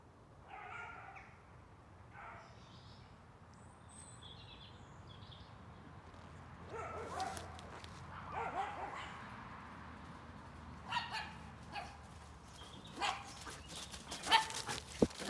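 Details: Dog barking in dark woods before dawn on 17 December 2020, breaking the quiet of a woodland walk; irregular harsh barks come singly and in short clusters, growing louder toward the end, with faint high chirps early on and rustling footsteps throughout.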